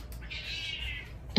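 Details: Clingy, affectionate house cat giving one smooth, level meow lasting under a second, followed by a brief sharp knock.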